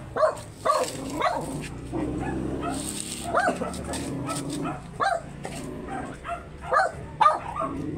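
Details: Very small Shih Tzu at a stud session in Pangasinan, giving short sharp yips and barks in uneven bursts, some spaced about a second apart, while people talk in the background.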